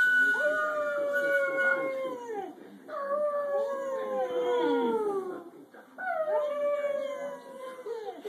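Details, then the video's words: Pet dog howling in three long drawn-out bouts, each starting high and sliding slowly downward in a wavering, harmonic-rich tone, with brief breaths between; slight room noise. "My dog howls like a derp"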